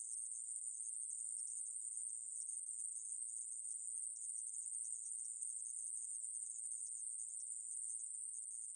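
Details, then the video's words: Conehead katydid (애매부리) buzzing in one long, even, piercing hiss, from a 2020 recording by the National Institute of Biological Resources; nothing else audible. "애매부리, 여러번 듣기, 곤충소리"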